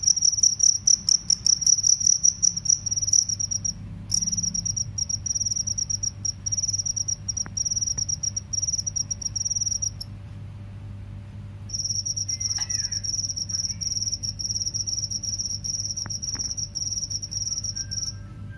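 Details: Crickets, a rice-field cricket compared with a forest cricket, give a high, steady, rapidly pulsed trill, with a brief pause where one singer gives way to another.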